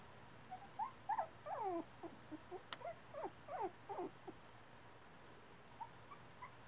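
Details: A litter of Havanese puppies, about four weeks old and just starting to explore, gives high, thin whimpering squeaks that bend downward, several overlapping in quick bursts, then a few scattered faint yelps over a quiet background.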